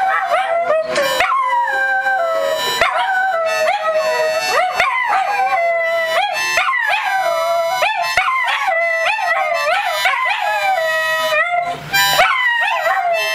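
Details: Several dachshunds howl together in wavering, rising and falling wails that swoop up and down repeatedly, layered over sustained steady instrumental tones like a harmonica accompaniment throughout.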